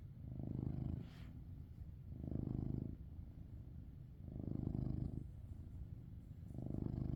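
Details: Coco, a Maine Coon cat, snores in sleep with deep, rough, rumbling breaths, four even swells roughly every two seconds, each about a second long, in a quiet room.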